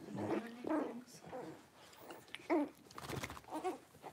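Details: Six-week-old blenheim Cavalier King Charles Spaniel puppies, a litter of five born on New Year's, in a home puppy pen; short mid-pitched whimpers and whines come about every half second, with a human voice murmuring in the background.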